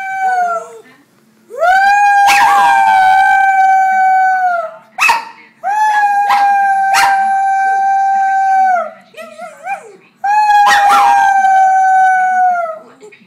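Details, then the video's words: Loud howling from a male dog: four long, level, tonal howls of about two to three seconds each, separated by short pauses with brief thumps and yips between them. "Dog howling"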